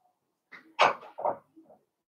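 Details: Blenheim Cavalier King Charles Spaniel puppy, one of a litter of five born at New Year's, indoors in a home puppy pen on a pick-up day; one sharp, harsh bark, then a softer second yelp and a faint trailing whimper.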